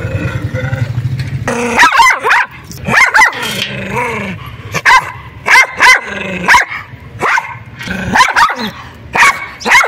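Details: White dog named Teddy Bear, chained near a public road and attacking whenever approached, opens with a low growl, then fires off repeated sharp barks in quick pairs and triplets, loud and close.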